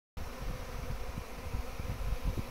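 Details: Massive honey bee swarm that suddenly appeared in a backyard garden, giving a dense continuous low droning hum with flickering texture, steady throughout without pause.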